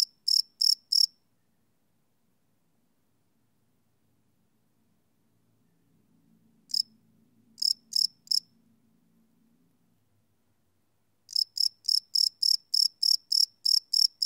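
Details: Cricket chirping at night, recorded live on a Sony PCM D100 field recorder; short bursts of high pulsed chirps separated by long quiet gaps, with a faint low hum in the middle, then a steady run resuming.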